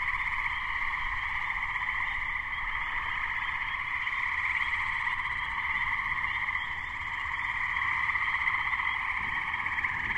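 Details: Chorus of Gray treefrogs (Hyla versicolor), May 2010, minutes before an approaching thunderstorm; many males trilling at once in a constant pulsing drone, high Spring Peeper peeps scattered above, faint low rumbling beneath.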